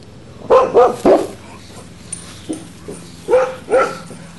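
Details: Boxer puppy named Max barking at a female English Mastiff named Baby, acting fearless; five sharp harmonic yaps, three in quick succession then two more after a pause, with faint soft sounds between.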